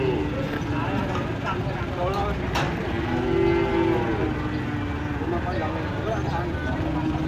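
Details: Cow lying with a cramp after leaping from a truck and falling while being unloaded, left to get up on its own: one drawn-out, low moo in mid-clip over a rumbling engine, with men's voices and clattering.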